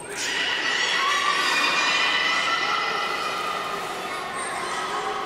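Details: Beluga at Port of Nagoya Public Aquarium, Japan, recorded 11 August 2018 during a pool move. One drawn-out, rich harmonic squeal holds steady and slowly fades, with a brief high chirp near the end.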